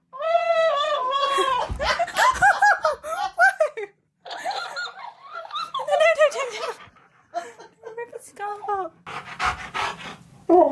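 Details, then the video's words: Siberian Husky named K'eyush arguing with a talking, dancing cactus toy: long wavering, yodelling woo-woo vocalizations that rise and fall in several drawn-out bursts with short pauses, mixed with human laughter and speech indoors. "Husky Argues With Cactus That Talks And Dances!"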